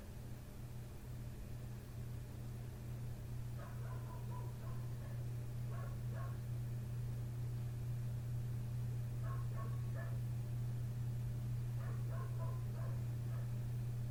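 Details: Neighbour's dog barking right outside a window at night, from 1:30 am until past 3 am. Four distant bursts of rapid, clipped barks come a few seconds apart, half buried under a loud, steady low hum.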